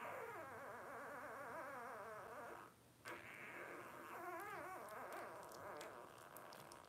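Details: Five blenheim Cavalier King Charles Spaniel puppies, 12 days old, born on New Year's 2023 to Paris and Spike. Steady wavering whines and squeaky murmurs run for over two seconds, break off briefly, then return with warbling, rising-and-falling tones.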